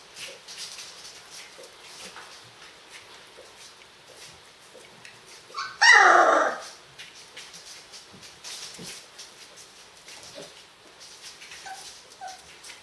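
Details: Lion cubs from one litter, three and a half weeks old: a single brief, strained whimpering squeal near six seconds, then low rustling and faint small squeaks.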